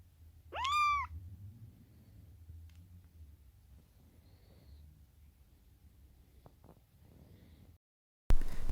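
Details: A rescued female kitten, being kept warm after her first bath, gives one short, sharply rising meow, then stays quiet apart from soft low rumbling and faint rustles.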